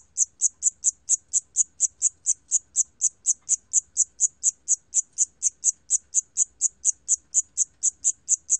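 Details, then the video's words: Siamese cricket from a 2020 National Institute of Biological Resources recording: a steady series of short, high, shrill chirps, roughly three to four per second, with very faint low rumble beneath. "샴귀뚜라미, 여러번 듣기, 곤충소리"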